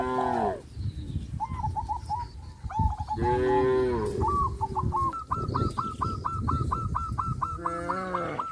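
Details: Grazing cows on a traditional village farm moo three times, each a short harmonic low call, mixed with quick trilled calls and a rapid series of repeated chirps from other animals, over low background noise.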